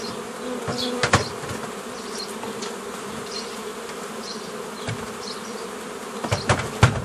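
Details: Honey bees during old-fashioned nucleus colony making from a forager swarm, 15 May 2018: an unbroken buzzing drone interrupted by loud wooden knocks near the start and end, with a few faint bird chirps.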